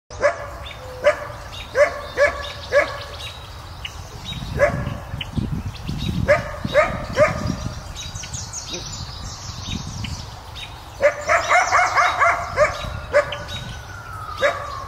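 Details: A coyote, explicitly not a dog: short, sharp barks come at uneven intervals, then a denser burst of yapping barks near the end, over low rumbling background noise.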